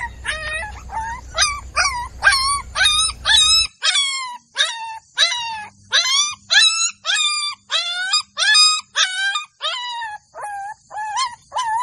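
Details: Yelping Golden Labrador puppies in a village: shrill, bent yelps repeated almost twice a second, each sliding up then down, over a low hum that stops after the first few seconds.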